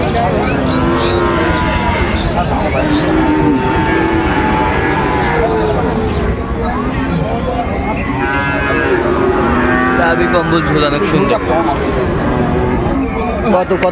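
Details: Sahiwal bull calves at Raniganj cattle market, Dinajpur, on 29 August 2024: overlapping drawn-out moos, some rising then falling, from several animals throughout, over steady crowd chatter and market noise.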